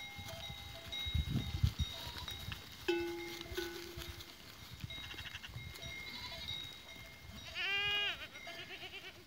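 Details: Goats recorded on 14 April 2023: one wavering, harmonic bleat lasting under a second near the end, while bells ring steady tones throughout, with scattered knocks and rustling.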